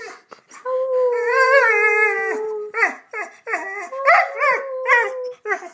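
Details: A pet Rhodesian Ridgeback talks on command after being told to speak, giving a long, wavering, howl-like moan that rises and falls, then a series of shorter whining yowls with bending pitch, about one every half second.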